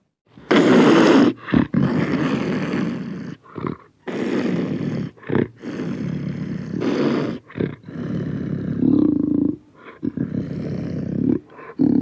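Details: Panther recorded close, giving a run of harsh, broad growls and roars in uneven bursts, some drawn out over a second, separated by short silences.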